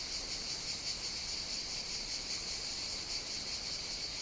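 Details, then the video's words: Chorus of cicadas on Evia, Greece, during hot summer days when singing starts early in the morning; a continuous shrill hiss with a faint rapid pulsing texture, and no other sounds stand out. "Cicadas Sing On the Greek Island of Evia"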